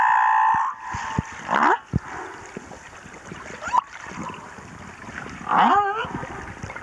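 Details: Male humpback whale singing off Moorea: a steady mid-pitched tone gives way to rising upsweeps, then a loud wavering, warbling sweep near the end, with scattered clicks and faint water noise between phrases.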